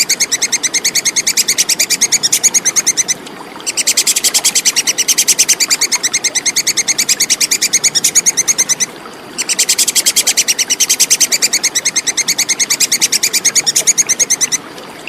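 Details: Plantain squirrel (tupai kekes) in a clear recording for training contest songbirds. Long runs of rapid, sharp, metallic ticking, several per second, split into three bouts by short silences.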